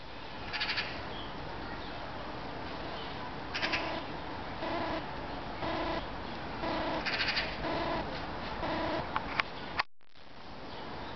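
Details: A Hamadryas baboon, alone at Budapest Zoo, gives short, hoarse, harmonic calls, repeated in bursts over steady background hiss.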